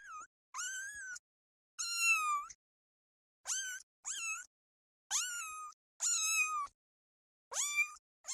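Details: Kitten meowing while stalking butterflies on grass: eight clear, bright, fairly high meows, each under a second long, some rising sharply at the start, separated by near-silent gaps.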